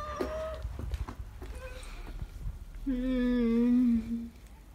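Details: Shy stray cat met by chance gives a short mid-pitched meow, then after a pause a longer, lower, drawn-out meow that sags slightly in pitch, with soft knocks and rustling around it.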